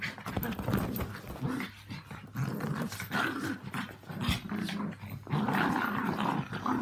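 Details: Play growls from a household trio: Walt and Milly, Yorkies aged three and four, with Harvey, a two-year-old Maltese, during their mad half hour. Near-continuous gravelly snarling and grumbling that rises and falls in short waves.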